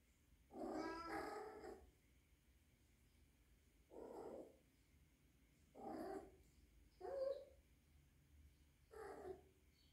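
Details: Rescued three-month-old female kitten, orphaned and now living indoors with adult cats, possibly in heat; five drawn-out, harmonic yowls, the first longest, spaced about two seconds apart in a quiet room.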